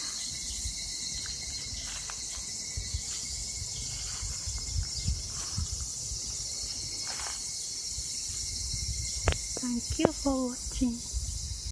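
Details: Summer 2021 in Japan, evening cicadas keep up a constant high shimmering chorus, while a few short chirping notes and scattered knocks break in near the end.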